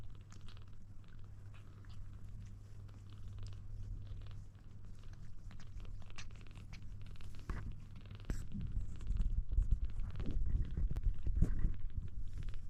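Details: Kitten trying to drink milk, a steady low purring rumble throughout with scattered soft clicks and rustles, growing louder and busier in the final seconds.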